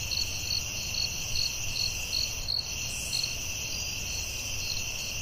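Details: Night chorus of crickets in a forest, with bright pulsed chirps repeating nearly three times a second above a continuous high-pitched hum and soft low background noise.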